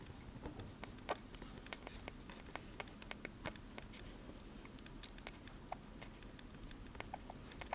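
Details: Sugar glider eating blueberries indoors: quick, irregular wet clicks and smacking crunches scattered through the clip over a low steady room hum.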